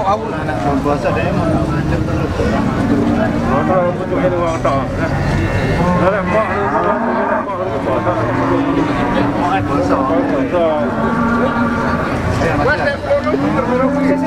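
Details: Cattle at a Ponorogo market ahead of Eid al-Adha in August 2018: several low, drawn-out moos, some overlapping, over constant crowd chatter and passing vehicle noise.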